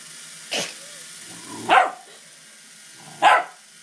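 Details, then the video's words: Doberman puppy at play during a pedicure, giving three short, sharp yelping barks spaced about a second and a half apart, with quiet background hiss between them. "Doberman puppy playing with a pedicure"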